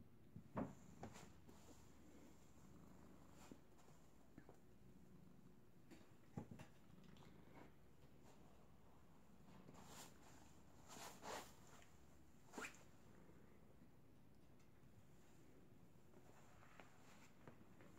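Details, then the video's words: Pet cat purring loudly while cuddled and hugged by Betty, a pit bull dog it usually sleeps with, indoors; a soft, steady low rumble runs throughout under occasional clicks and rustling. "Loud Purring Kitty"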